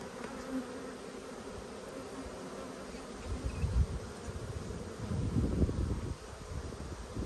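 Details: Honey bees on brood frames during an Australian dearth-season inspection in February 2022, buzzing in a low continuous drone that rises and thickens after three seconds, with faint handling noise.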